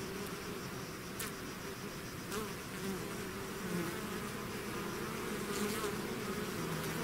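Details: Bees swarming out of their hive make a continuous rich hum, layered low tones wavering in pitch, broken by short bright whirs of individual insects flying past the microphone.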